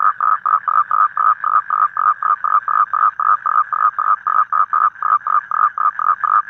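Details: A toad calls in the evening in the wild, a steady series of short, nasal, mid-pitched notes, about four per second.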